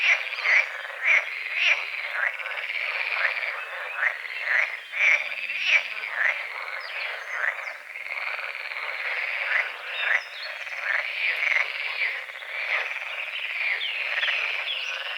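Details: Dawn chorus of frogs over a small lake beside a forest, continuous rough croaks repeating nearly twice a second in overlapping waves, with faint bird notes in the background.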